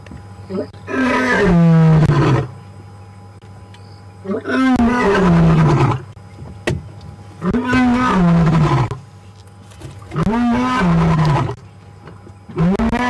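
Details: Male lion Ginger Matimba roars close to a safari vehicle on the April 4 WildEarth PM drive. Deep, harmonic grunting roars fall in pitch and repeat about every three seconds, with quiet engine hum between them.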